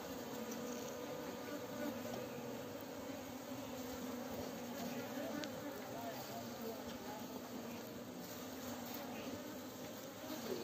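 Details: Honey bees during honey harvesting give a steady, low droning hum with layered harmonic bands. The hum holds evenly throughout, with no clear breaks or pulses.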